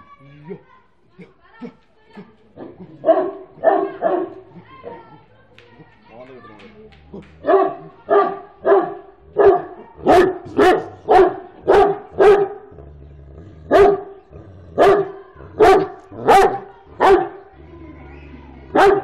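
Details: A very tall Great Dane barking in a steady series of deep, full barks, about one every second after a quieter start, with music playing in the background.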